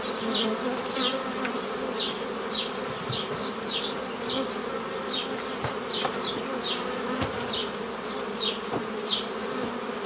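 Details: Bees humming constantly as nuclei are split off a previously gathered forager swarm by traditional method, 15 May 2018; the steady buzz carries many quick falling bird chirps throughout.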